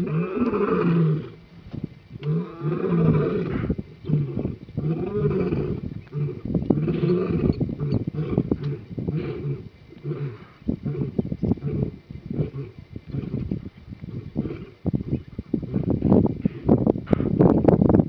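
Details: Lions at Goas Waterhole, Etosha, Namibia, roaring in frustration after a herd of impalas ran away: deep, powerful roars at first, then a long run of rhythmic, throaty grunts that swell again toward the end.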